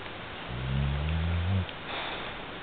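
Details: Sleeping bulldog Al snores with one deep, steady, humming rumble of just over a second that ends abruptly, then a quieter airy exhale.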